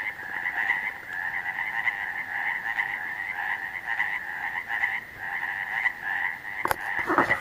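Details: At Cavitt Lake, many frogs croak together in a continuous, rapidly pulsed chorus with a bright, raspy ring; near the end a couple of sharp knocks briefly break through.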